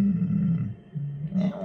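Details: A cat that wandered into a yard and refuses to leave gives a low, drawn-out, growling yowl, held steady and then dipping before swelling again, deep and throaty with little high tone.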